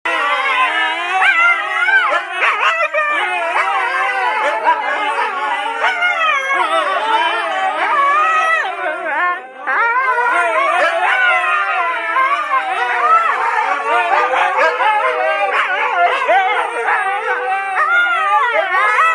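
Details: Four Siberian Huskies howling together, a dense overlapping chorus of wavering, bending voices that rise and fall continuously, with short yips mixed in and a brief dip in volume near the middle.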